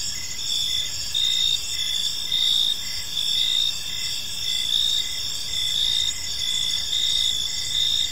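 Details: Evening park chorus of crickets: continuous shrill chirping layered in several high bands, with louder pulses recurring a little under once per second against faint low rumble.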